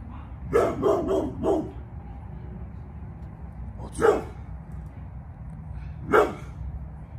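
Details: Pit Bull nearly 11 years old barking while protecting the yard: a quick burst of four loud barks, then two single barks about two seconds apart, with a man calling to the dog between them.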